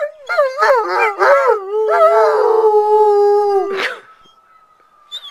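Alaskan Malamutes respond to a siren with rich howls that wobble up and down at first, then stretch into a steady, drawn-out note. A thin, steady tone lingers faintly after the howling stops.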